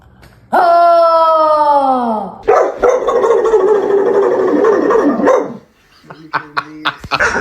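A dog gives a long falling whine, then a drawn-out, grumbling howl-like groan and a few short yips.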